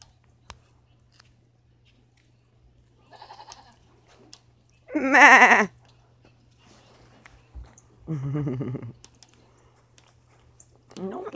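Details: Pet goats calling while a person tells one not to eat a coat: a loud quavering bleat near the middle, a softer shorter bleat a few seconds later, a faint bleat earlier and another starting at the end, with human speech between.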